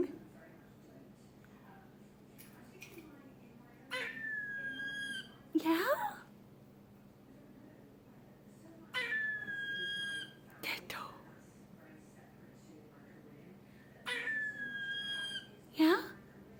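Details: A male squirrel, still finding his many voices, gives drawn-out, whiny tonal squeals, each followed by a sharp squeaky burst, with a person speaking quietly; the owner is unsure what the call means.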